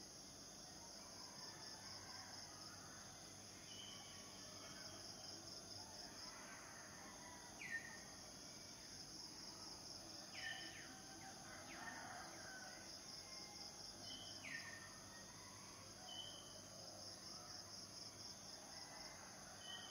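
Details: Continuous shrill cicada drone with a faintly pulsing beaded texture, overlaid by repeated short, falling bird chirps every few seconds and occasional soft rustling.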